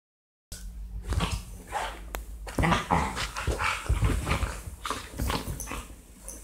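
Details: Labrador Retrievers, more than one dog, giving rough, low, grumbling growls with short whimpering yips, in close, continuous bursts for about six seconds, with scuffling noises.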